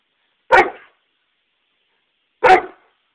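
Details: A hyper pet dog gives two short, sharp barks about two seconds apart, each a loud burst that fades quickly, with silence in between.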